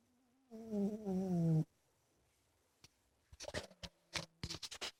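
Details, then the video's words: Sleeping in his bedroom, Ninnie the big male cat lets out one low, faint hum and then a single rising, humming snore about a second long, followed by a run of sharp scratching and rustling sounds. "My Cat Ninnie Snoring in his Bedroom!"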